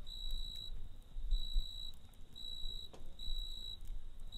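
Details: Cricket chirping at night beside a campfire: high, pure trilled bursts about half a second long, repeated in a steady series over a low crackling rumble of fire.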